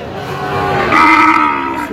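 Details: At a Brahmanbaria cattle market in Bangladesh, 21 October 2025, Sahiwal bull calves being sold to a farmer; one short, rich moo rises mid-way and fades, with faint market bustle behind it.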